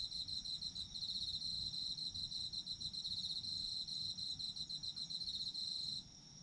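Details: Autumn insects calling, recorded for sleep ambience: a bright, rapidly pulsed high trill runs continuously over a thin steady buzz, stopping abruptly near the end of the stretch.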